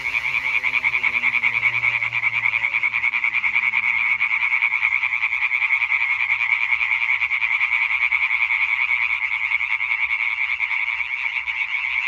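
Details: European tree frog chorus from 20.05.2023: many males croak in fast, rasping pulses forming a continuous bright din, with a faint descending low hum fading out at the start.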